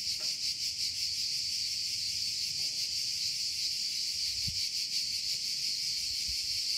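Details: Cicada, called tsitsikas in the local name, giving a loud, continuous high buzz pulsing rapidly at a steady rate of about three beats per second. Faint low rumbles sit underneath.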